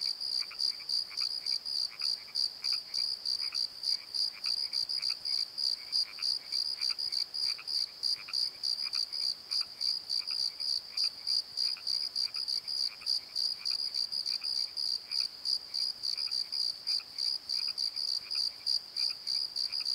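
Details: Night chorus of crickets in a valley bottom at the Pozo Night Tree: high, ringing chirps pulsing evenly around three per second throughout, joined by fainter, lower rhythmic croaks.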